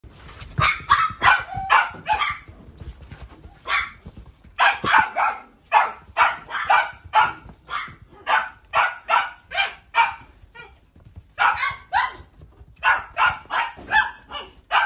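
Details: Miniature Dachshund at a pet shop barking in rapid bursts, sharp high yaps repeated several times a second in clusters, with brief pauses between runs.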